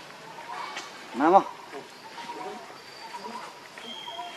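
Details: Baby monkey Leo, hungry and crying to beg its mother for milk, gives one loud, strained, harmonic wail lasting about a quarter second, with soft scattered sounds and a faint steady tone in the background.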